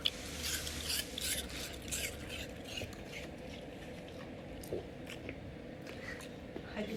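A Golden Retriever sniffles and snuffles through its nose in soft, breathy bursts to ask for attention.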